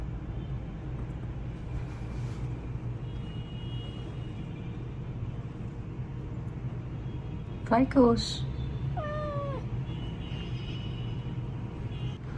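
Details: A young male Japanese bobtail cat, rescued as a kitten, answers sleepily while being talked to indoors: two short, rising-then-falling meows near the end, over a steady low hum, with a woman's voice speaking to him.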